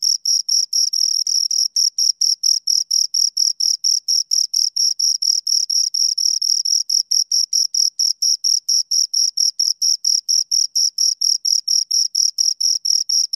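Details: Steady high-pitched chirping of two crickets, dozens of short pulses in a constant fast rhythm of roughly four per second, unbroken across the whole stretch with no other noise.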